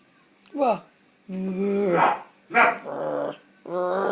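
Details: Playful puppy Coco growls and whines in four drawn-out, tonal bursts, each rich in harmonics, the first sliding downward, the others held steady for about half a second to a second.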